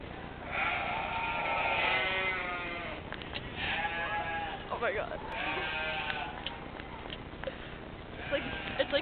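A llama gives wavering, nasal, bleat-like calls in several drawn-out bursts.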